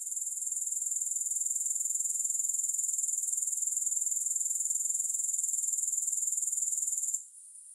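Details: High, fast buzzing trill from grasshoppers, without music, steady and evenly pulsed, then dropping away suddenly in the last half second.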